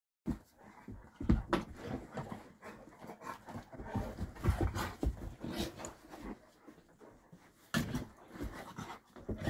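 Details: Dog panting, one of two female brindle dogs: Attie, a three-year-old Boerboel (South African Mastiff), or Lagertha, a Serbian Defense Dog aged one year four months. Rough, rapid breaths pulse steadily through nearly the whole stretch, with a louder burst near the end.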